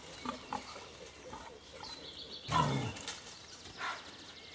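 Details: Angry wild boar snorting across the river Warnow, a harsh broadband burst around two and a half seconds in, with fainter grunts and another snort near four seconds; rustling and light background noise throughout.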